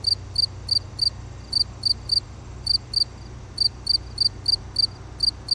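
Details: Short burst of cricket song: shrill, ringing chirps in pairs and triplets, several per second, with a quiet low rumble behind.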